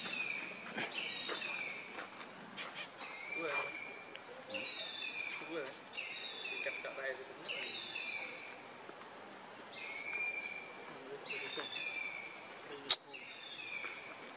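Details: Hungry baby monkey named Leo cries and begs his mother for milk, giving a long series of shrill descending squeals in quick succession, with human talk in the background and a sharp click near the end.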